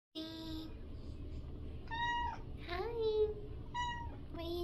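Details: Talkative, loud pet cat indoors meowing: a run of five harmonic-rich meows about every second, some flat, one rising and drawn out, with a quiet room hum beneath.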